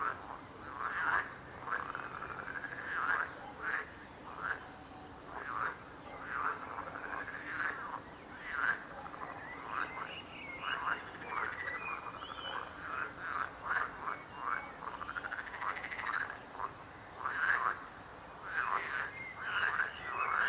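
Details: Many frogs croaking, short throaty croaks overlapping irregularly and repeating several times a second, without long trills, in a busy continuous chorus.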